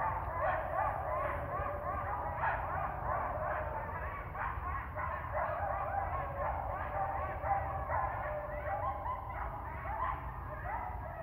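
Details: Coyote pack in Ash Brook Reservation at 7:30 AM on 12/7/19, calling in response to a member left separated from the group: a dense, continuous chorus of overlapping high yips and wavering howls over a low rumble.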